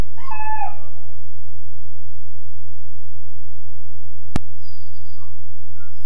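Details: A 13.5-week-old Weimaraner puppy in his kennel gives one brief high wavering whine at the start, then a long quiet stretch over a steady low electrical hum with a single click.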